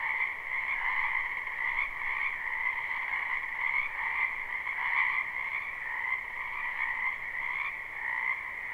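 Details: Springtime wetland frogs croaking together in a live recording: an even, dense chorus of rapid trills in two pitch layers, swelling slightly now and then, with faint quiet background hiss.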